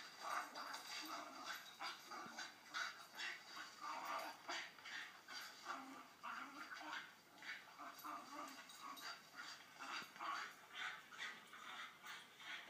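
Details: A female blue Staffordshire Bull Terrier listens to a recording of herself playing with another dog; bursts of whiny, grumbling play noises come in quick succession.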